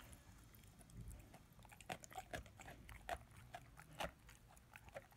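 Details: Ten-month-old German Shepherd/Labrador puppy chewing his first bone with slower, heavier bites: a few distinct crunching snaps roughly once a second over low, muffled gnawing.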